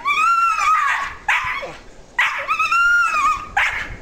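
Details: Female dog climbing a tree in a backyard, making what is described as monkey noises: high, strained whining yelps that bend and waver, in four bursts over four seconds, after a person urges her on with "go, get him".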